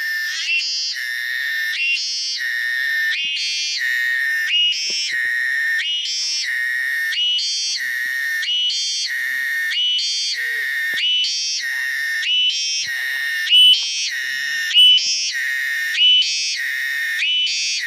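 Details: Cicada. A cicada's song fills the recording: a high, ringing buzz that rises and drops in regular throbs, roughly one every second and a quarter. No other sounds stand out behind the steady pulsing.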